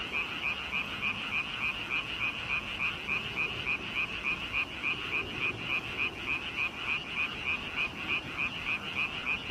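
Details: A frog chorus of rhythmic croaks, about three and a half grating pulses per second in an even, unbroken series, with overlapping calls filling the background.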